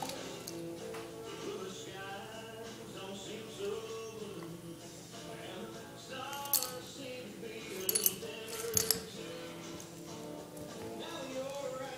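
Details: Indoor music with sustained tones and a few clinking, coin-like hits, with faint voices and no animal sounds.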